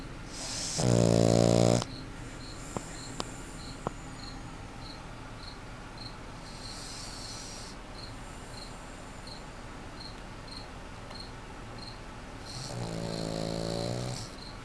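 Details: Loud snores from Dewey, a sleeping puggle: a rattling snore near the start and another near the end, separated by a long quiet stretch with faint regular high chirps ticking in the background.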